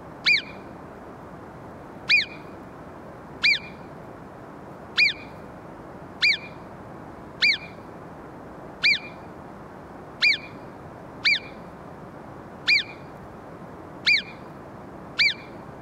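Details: Shrill, clipped whistles of an Alpine marmot ring out twelve times at uneven gaps of roughly one to two seconds, each a quick high note, with only faint steady hiss between them.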